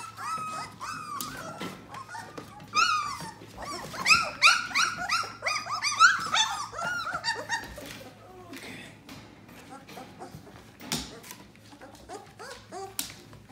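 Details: Yellow Labrador Retriever puppies aged 18 days: bursts of short high whimpers and squeaks clustered in the middle, with rustling, clicks and human speech around them indoors.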